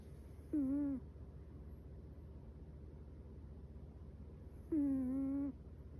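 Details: Sleeping Chihuahua puppy Metaru gives two squeaky, slightly wavering nasal snore-whistles about four seconds apart, each under a second long, with a quiet low hum in between.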